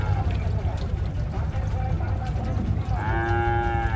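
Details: A bull unloaded for the Eid cattle market at Hazratpur, Bangladesh, gives a single rich, steady moo in the last second, after heavy low rumbling crowd and vehicle noise.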